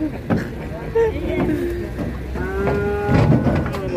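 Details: Large fat cattle said to be rampaging and slipping on a road, giving long low moos with rich harmonics, two drawn-out calls in succession, over people talking and a vehicle rumbling.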